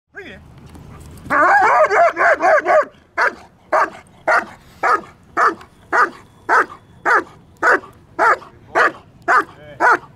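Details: German Shepherd in protection training barking in a steady run of strong, harmonic barks, about two per second, after an opening burst of rapid overlapping barks; low background rumble.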